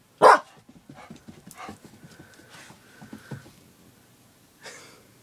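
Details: A female Border Collie, in a fit of barking mania, gives one sharp, loud bark, followed by quieter tapping and rustling.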